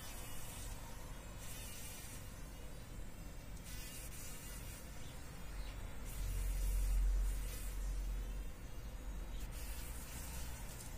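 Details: Trapped fly fighting in a spider web spun in a workshop corner; intermittent buzzing bursts of about a second each, separated by pauses, with a constant low background hum and a swell of rumble midway.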